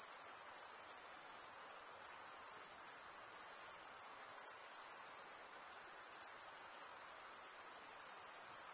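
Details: Chirping of crickets, usually males, made by scraping one wing along the comb-like teeth of the other; a shrill, continuous, finely pulsing high trill, steady and unaccompanied.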